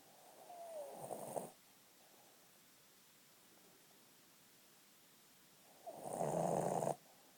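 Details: A sleeping female Boston Terrier, after a long day, gives a rough, throaty snore, then falls quiet. About five seconds later a louder, buzzier snore follows, rattling through nose and throat.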